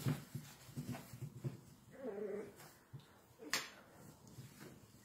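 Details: Salt-and-pepper miniature schnauzer puppies from one litter give soft grumbling growls, a brief high whine and a sharp yip during play.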